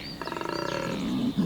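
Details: A large collared male koala bellows his mating call at the start of spring breeding season in Cape Otway, Victoria, Australia: a rapid, pulsing, snore-like rasp that swells and then fades.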